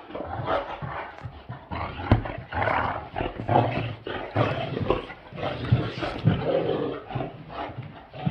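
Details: Male and female Great Danes at play, giving loud, gravelly growls and grumbles that swell and fade every second or so, with a sharp click-like knock partway through.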